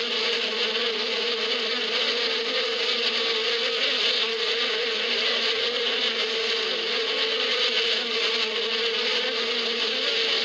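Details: Bees in spring in the desert steppe, a dense, continuous humming buzz of many insects with a steady low drone and a bright hiss above it, holding an even level throughout without pauses.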